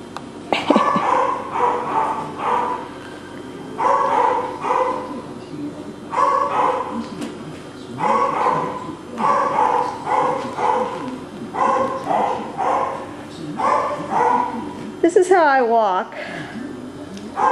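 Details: Male Cockapoo puppies, brothers Kujo, Louie, Oliver and Bo, recorded 18 April 2014, producing clustered bursts of yapping roughly every two seconds, each cluster two or three harsh yips, ending with a sharp high squeal.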